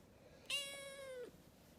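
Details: Young rescued calico kitten chattering indoors gives a single bright meow of under a second. Its tone is level at first and falls away at the end. Soft Arabic speech comes just before and after.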